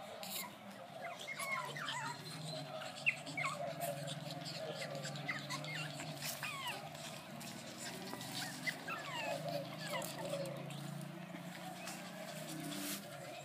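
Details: Several young Brussels Griffon pups squeak and whine softly, with short falling peeps scattered throughout and a constant mechanical drone underneath.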